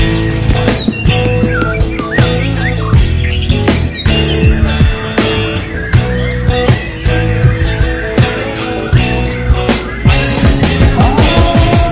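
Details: Loud rock music with guitar and steady drum beats fills the whole stretch, with no clear animal voice standing out.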